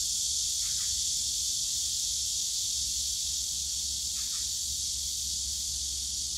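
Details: Summer cicadas in the Yongsan Family Park bamboo grove, Korea: a steady, piercing high hiss throughout, with a few quick mid-pitched ticks near the start and again toward the end, above a faint low hum.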